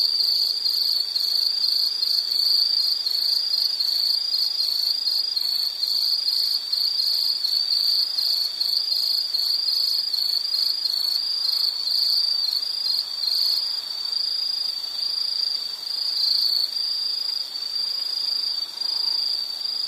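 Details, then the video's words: Insect chirping in a nature soundscape: a steady, high-pitched pulsing trill that runs unbroken for the full twenty seconds, with fainter shimmering overtones above and no other clear sounds. "Sound · Nature Sound of nature sounds scenery L · insect"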